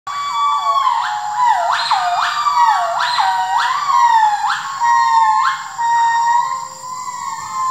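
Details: A rescued gibbon at a rescue centre sings clear, siren-like whoops, each note sliding sharply up and dropping back, rich hooting calls repeated roughly once a second with no competing sounds.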